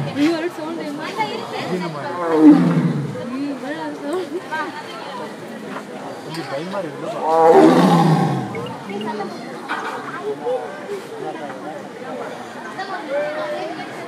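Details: A Bengal tiger at Bannerghatta, India, 13 October 2018, gives two deep, rasping roars falling in pitch, with people talking throughout.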